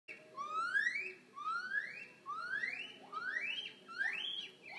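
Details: A young red-cheeked gibbon, born 26 July 2017 and about one year old, at a zoo gives pure, rising whistled notes, each sweeping upward, repeated about once a second.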